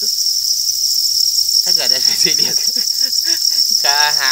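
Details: Farmed crickets kept for breeding, giving a dense, steady high-pitched trill that runs unbroken through the whole recording, with a person talking over it for most of the time.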